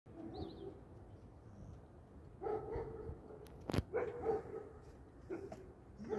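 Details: Stray dogs searching and walking; a few short, tonal barks or yelps come in clusters after a quiet stretch, broken by one sharp click, over a steady low rumble.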